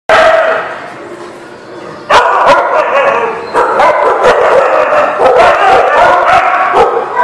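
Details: Several dogs barking at a dog lot on 15 February 2020: a quieter stretch of low murmuring gives way to sharp, overlapping barks coming rapidly and irregularly, several per second, with no pause.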